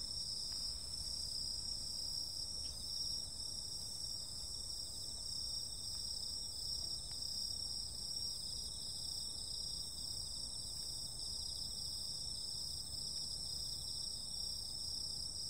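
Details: A summer night filled with insect calls: unbroken high-pitched trilling from many callers, steady in loudness, one faint pulsing band among the continuous ringing, and a low murmur of background noise.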